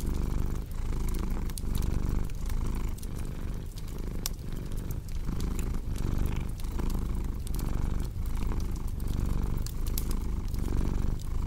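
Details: Continuous cat purr, throaty and low, pulsing in regular inhale–exhale phases about every 0.7 seconds while a crackling fireplace adds scattered sharp snaps throughout.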